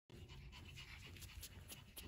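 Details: A domestic puppy from parents cleared by genetic testing, heard panting: rapid, breathy low rustling pulses repeated steadily with soft airy bursts above, recorded close up.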